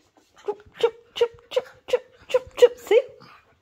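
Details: Poodle giving a series of eight short, whining whimpers, each with a steady pitch, roughly three per second, the last one bending upward; quiet room with no other clear sounds.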